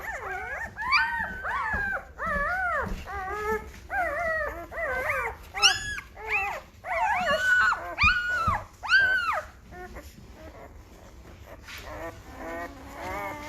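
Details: Five-day-old Great Bernese puppies, Great Pyrenees crossed with Bernese Mountain Dog, in a litter getting noisy; rapid series of short, arched squeaky yelps and whines, about one per second, fading into softer grunts and quieter whimpers near the end.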